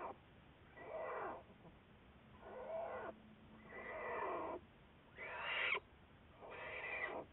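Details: American black bear studied by researchers, recorded February 10, 2014: harsh, broadband calls in about five bursts roughly a second long, some rising and brightening, separated by short quiet gaps, with faint low hum.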